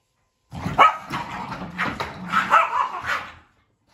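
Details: Boston Terrier and Keeshond squabbling over a carrot: a string of gruff barks and snarling yips that rise and fall over about three seconds, loud and close.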